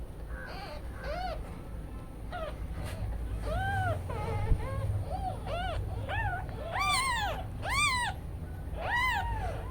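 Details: Several newborn kittens left alone while the mother cat takes a break call repeatedly: about fifteen thin, arching mews, overlapping and growing louder and shriller toward the end, with a constant low hum beneath.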